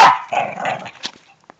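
A Shih Tzu gives a sharp, high bark followed by a rougher, drawn-out second bark.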